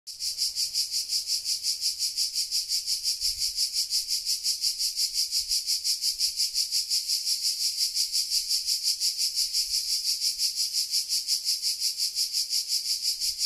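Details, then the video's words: Cicadas in Sardinia at 13:00 on a July 2020 summer day: a high, hissing buzz that pulses steadily, roughly three throbs per second, continuing unbroken throughout with only faint low background. "Sardegna - estate 2020 - Cicale"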